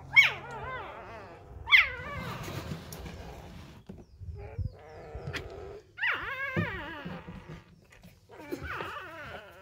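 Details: Hand-fed newborn Labrador Retriever puppies, left by a first-time mother, give short bursts of high squealing whines that rise and then fall, separated by quieter pauses, with faint rustling between cries.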